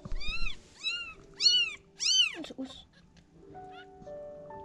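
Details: Newborn kittens, a few days old, from a litter of five being cared for and given milk: a run of four or five thin, high, arching meows in quick succession, followed by soft tonal music.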